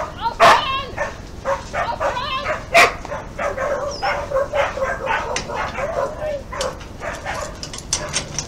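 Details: Dogs during an attack on 20 August 2018 in Küstrin-Kietz, Oderbruch, Brandenburg, near the Polish border: a free-roaming Newfoundland assaults a leashed Keeshond outside a property; sharp yelps and barks amid loud human shouting and screaming.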